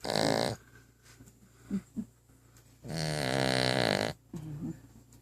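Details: Female dog asleep indoors with her head resting under a coffee table, snoring: two short snorts, then a long rasping, buzzy snore of more than a second, followed by softer snuffling breaths.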